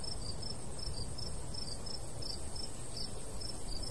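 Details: Summertime wheat field chorus of crickets: bright, brief high-pitched chirps pulsing in irregular clusters, set against steady low wind noise from a light countryside breeze.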